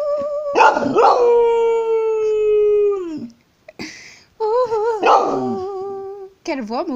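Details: American Staffordshire Terrier howling along with its owner in a small room: sustained tonal howls, one gliding slowly downward for two seconds, then wavering, vibrato-like howls, with brief speech between them.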